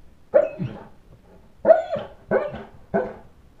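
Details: A St. Bernard protesting because the kids went out to play without him. Four loud, rough barks, a lone bark and then three closer together, with a faint echo of a small room between them.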